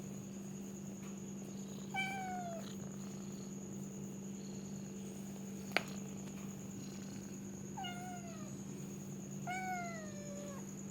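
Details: Pet cat meowing indoors: one falling meow early, then a quieter gap broken by a sharp click, and two more downward-sliding meows close together near the end, all over a steady background hum.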